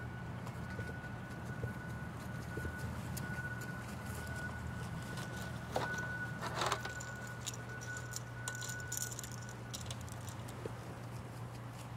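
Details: Quiet indoor hum with a steady pure tone, soft clatter and a few short rustling bursts, and no clear animal voice.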